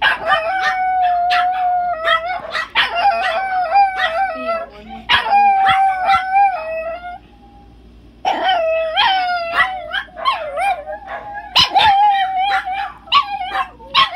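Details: Pet chihuahua named ChiChi in full wolf-like howling, with sustained quavering notes that dip and rise, interrupted by quick yelps and a brief pause midway before the howling resumes.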